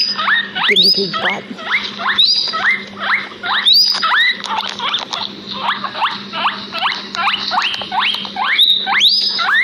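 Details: A pair of pet guinea pigs outdoors in a backyard, wheeking continuously: shrill rising whistles repeated at an uneven fast pace, often doubled or overlapping, above a low steady hum.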